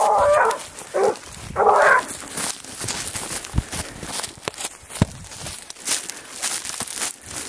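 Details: Grapa of Vallezano, a dog on the scent trail of a wild boar, lets out three quick harsh bays in the opening seconds, followed by rustling footsteps and rural outdoor noise.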